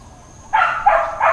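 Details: Dog barking in Hawaiian Paradise Park, Hawaii, on Labor Day, September 2, 2024, part of long intermittent barking: three quick, harsh barks in close succession, the last two about a third of a second apart.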